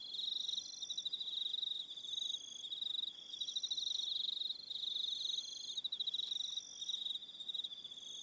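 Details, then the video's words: Crickets calling in the evening on Aroha Island, New Zealand, several overlapping high pulsed trills forming a rhythmic chorus, with short breaks and higher chirps layered on top. "Relaxing Evening Sound of Crickets"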